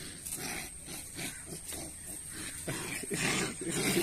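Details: Rottweiler; growl; aggression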